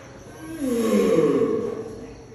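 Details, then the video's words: Turtle calling during mating: a single drawn-out, moaning groan lasting about a second, tonal and slightly falling, rising from quiet and fading away. "Strange sound of a turtle"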